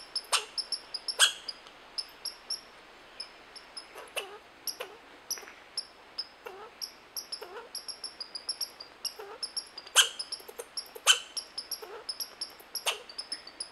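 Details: Red squirrel calling: a steady run of sharp, short clicking chucks, irregularly spaced about once a second, some much louder than others. Thin high overtones ring above them, and the background is otherwise quiet.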